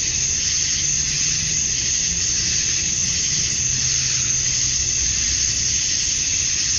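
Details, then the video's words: Male cicadas chirping to attract females at summer dusk in Georgia, USA: a dense, steady high-pitched buzzing wall with gentle swells in intensity, plus a faint low hum underneath. "Cicadas at Dusk, Summer Night"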